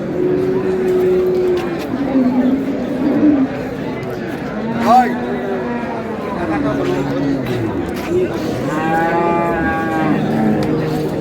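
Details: Cows and calves at Ambari cattle market on 15 April 2026, amid price haggling; a series of separate drawn-out moos about every two to three seconds, one louder higher call near the end, over crowd chatter.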